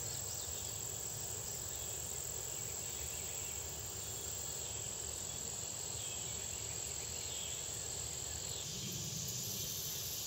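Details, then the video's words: Red-headed bush cricket among other insects in Athens, USA, at the State Botanical Garden of Georgia, 2010. Piercing steady high trill with a flickering, pulsed upper edge for most of the clip, fading near the end. "Red Headed Cricket (Pyhllopalpus pulchellus)"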